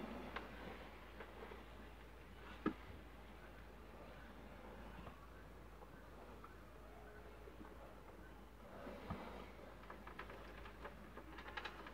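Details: Quiet indoor room tone with a low steady hum and a few faint clicks and knocks; no animal voice stands out.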